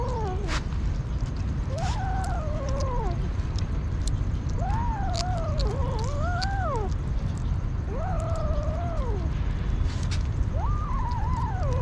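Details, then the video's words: Hungry kitten from the street crying repeatedly: arched, wobbling meows every two to three seconds, some with a dipping middle, steady low hum underneath. "Crazy Hungry kitten"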